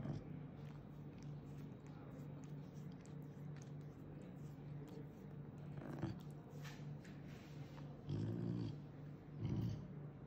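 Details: An angry caracal at the vet, where it has been a frequent patient after an accident, gives a low, steady growl that breaks into harsher, louder bursts and hisses as a threat to intimidate clinic staff.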